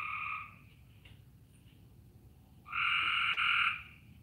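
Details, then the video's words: Frogs heard outdoors beneath low cloud; one call trails off at the start, then a louder sustained buzzy call of about a second follows after a pause, over a constant low rumble. "Y'all hear the frogs? That's what it sounds like here."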